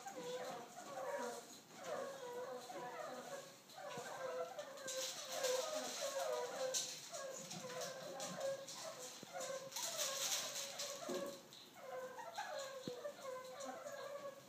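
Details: Meerkats at the Oakland Zoo, excited for feeding, chatter in a group behind the scenes with rapid, overlapping squeaky chirps and short whimpering calls.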